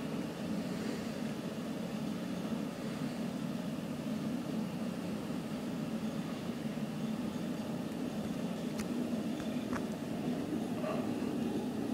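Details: Even broadband noise like an engine or traffic hum with a few faint clicks, and no animal voice.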